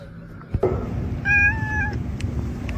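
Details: Domestic cat giving one brief, level meow lasting about half a second, with clear overtones, preceded by a soft thump against steady indoor room noise.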